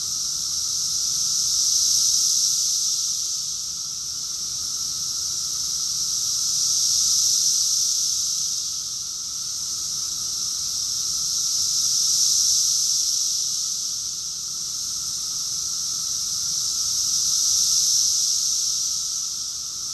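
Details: Cicadas in chorus, Rockville, Maryland, USA, June 2021, summer: an unbroken hissing, high buzz rising and falling in loudness about every five seconds, with a thin lower tone running throughout.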